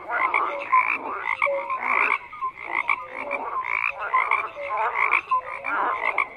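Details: Many frogs croaking at once in pulsing bursts about every second, raspy calls layered with brief tonal peeps, briefly quieter in the middle.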